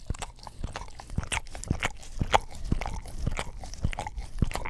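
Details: English Cream Golden Retriever licking an Orapup tongue cleaning brush beside a Blue Yeti stereo microphone: wet, clicky smacks and lapping strokes about twice a second, uneven in rhythm, in a quiet room.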